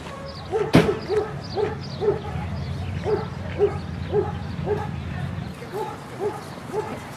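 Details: German Shorthaired Pointer at an Erie Shores Kennel Club field dog event on June 5, 2015, giving a steady run of short, even barks about twice a second. A single loud knock sounds near the start, over a low background rumble.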